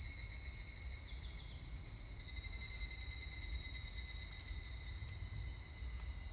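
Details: Short stretch of higurashi cicada song, 25 July 2019: an even, piercing insect ringing in stacked high tones, one strand fading in just past two seconds, over quiet low-frequency noise.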